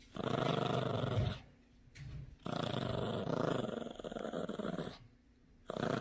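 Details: Gracie, a sassy, protective Yorkshire Terrier puppy, growls while playing tug-of-war with a brand new squeaky toy indoors; low rumbling growls in two long bursts separated by brief pauses, filling a small room.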